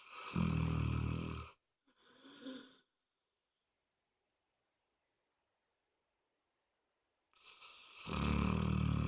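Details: Moses the dog snores louder than anyone: a heavy, vibrating rumble, a brief wheezy out-breath, about four seconds of near silence, then another deep rattling snore.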